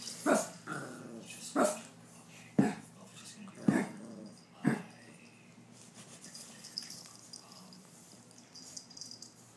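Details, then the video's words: Two dogs, Chubbles and Cuteness, playing rough together: five loud gruff barks or growl-barks about once a second, then quieter rustling and faint sounds of play. "Chubbles and Cuteness Playing Rough"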